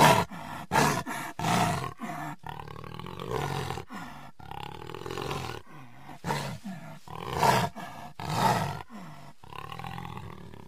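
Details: Jaguar producing dense, hoarse, breathy grunts in rapid succession, roughly one every second, some deep and drawn out, others short and raspy, continuing throughout with barely any pause.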